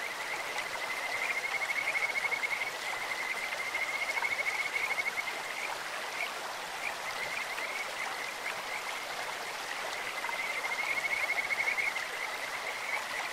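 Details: High, melodious trills from Kajika frogs in a clear stream, three whistled phrases of one to two seconds each, with scattered short chirps and the constant hiss of the current behind them.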